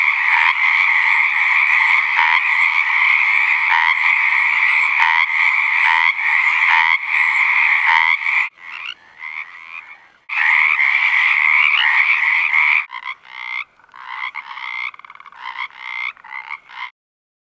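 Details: A dense chorus of Pacific tree frogs, with rapid, overlapping two-part ribbits, as males give mating calls from a pond on a ranch in southwestern Oregon in spring.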